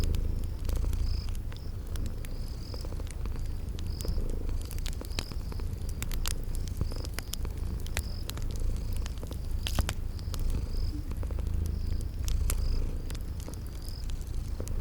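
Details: Deep rhythmic purr of a cat asleep, a soft rumble pulsing steadily throughout, with scattered crackling from a fire and a steady series of thin high insect chirps in a spring garden.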